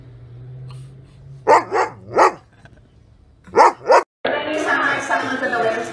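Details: Dog barking along with a baby playing harmonica: five sharp, clear barks in two bursts, three quick ones then two more, before a sudden loud rush of broad noise.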